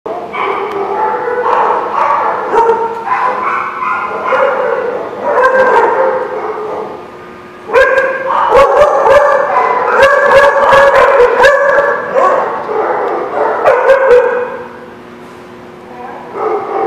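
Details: Several dogs at a place called The Barking Lot, recorded 26 November 2016, barking in a dense, overlapping chorus of mid-pitched barks with almost no pauses, punctuated by sharp clattering knocks between eight and fourteen seconds.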